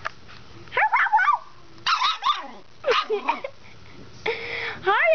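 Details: An angry new female puppy barking indoors at home: four short bursts of high, yelping barks and whiny yips with sliding pitch, spaced roughly a second apart, the loudest bursts near the start and end.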